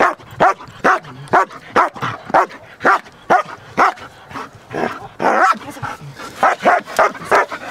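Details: Large solid black German Shepherd, trained in IPO protection work and described as quick to alert to strangers, barking in a steady series of sharp, loud barks about every half second, with a brief higher yelp near the middle.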